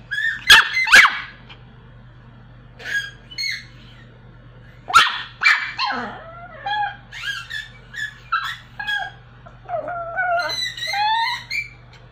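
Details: A little Pomeranian dog trying to sing indoors: sharp yips at the start, then a run of short rising and falling whines and yodel-like squeals, high-pitched and uneven, spaced about half a second apart, with a steady low hum behind.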